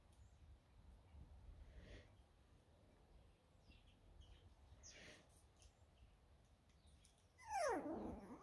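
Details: Six-week-old Border Terrier puppies; soft rustling and faint shuffling through most of the recording, then near the end one loud, tonal yelp that slides downward in pitch and fades quickly.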